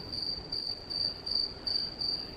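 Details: Crickets living up in the ceiling of a cruise ship's promenade deck, riding the ship into Kotor on the Mediterranean. They give a steady high-pitched chirping in short, even bursts, about three per second, with faint background hum.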